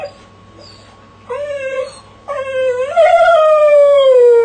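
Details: Jessie the dog howling in a crate: two short wavering howls then a long drawn-out howl starting high and sliding slowly downward, rich in harmonics, with a steady faint electrical hum beneath.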